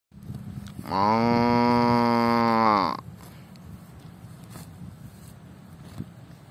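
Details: A cow gives one long, low, steady moo lasting about two seconds.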